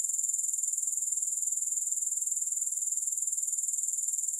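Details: Shrill, unbroken grasshopper trill made of rapid, even pulses, like a fast high-pitched rattle, with no other sounds or music.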